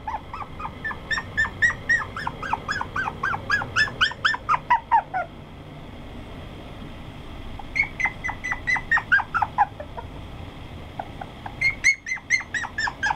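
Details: Toy poodle yipping in quick bursts of high, whiny yelps, each run lasting several seconds with short pauses between, then starting again; a faint steady hum lies underneath.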